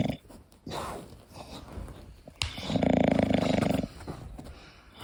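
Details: A sleeping English Bulldog snores, one long rattling, fluttering breath rising out of softer, wheezy breathing.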